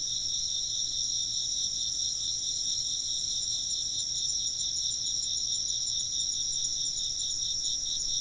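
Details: Many insects chirp together in shrill, rapidly pulsed trills forming bright high bands that stay steady throughout, with a soft low hum in the background and no other distinct sounds.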